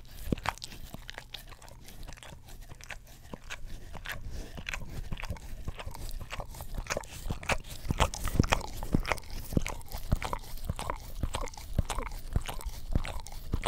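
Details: Dog licking sounds from an English Cream Golden Retriever cleaning its tongue on an Orapup brush next to a Blue Yeti stereo microphone; dense, slurping clicks and thuds repeat rapidly and unevenly, louder toward the middle.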